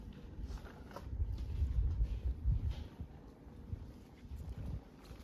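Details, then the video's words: Mother cat in Istanbul purring while feeding her kittens: a low, steady rumbling purr that swells and fades in slow breathing cycles, with soft rustling and handling noise around it. "Cute mother cat purrs while feeding her kittens"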